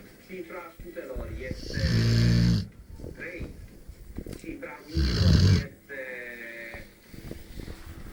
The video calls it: Spike, the rottweiler dog snore like a pig